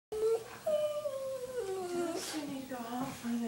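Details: Dog making weird sounds indoors: drawn-out tonal whines that slide downward in pitch, with a short high yelp at the start and wavering, voice-like howling toward the end.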